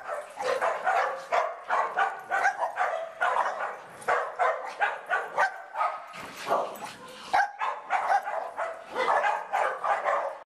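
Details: Playful barking from dogs Barnaby and Riley Jones, a nearly continuous stream of high, yipping barks, about two each second, with overlapping whines throughout.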